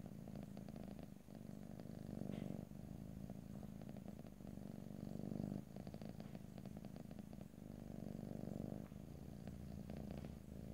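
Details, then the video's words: Cat purring steadily, captured in stereo without speech; low throbbing purr cycling through inhale and exhale about every three seconds over a long stretch, with faint soft rustling and slight movement noises. "ASMR Cat: Purring"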